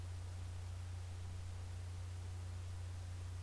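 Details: Only a quiet, constant low electrical hum under faint hiss and static is heard, with no animal voice.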